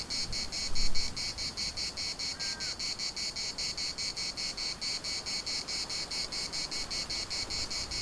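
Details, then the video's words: Cicadas at the municipal park of Larnaca, Cyprus, produce a loud pulsing buzz, steady throbs several per second, joined briefly by a short whistled note and a knock near the start. "CICADAS at the municipal Park Larnaca"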